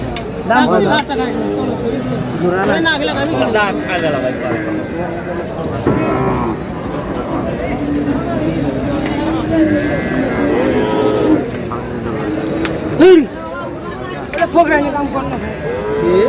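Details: Bulls offered for Qurbani at a cattle market, bought in lots by a farmer from Chittagong, Bangladesh, on 7 May: deep lowing moos rising out of dense crowd chatter and bargaining voices, with one brief louder bellow near the end.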